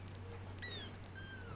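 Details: Shaded golden Persian kitten, just over two weeks old, one of a litter of four in their nest: two brief, thin, high mews, the first falling in pitch, the second long and gently sliding down, over a steady low hum.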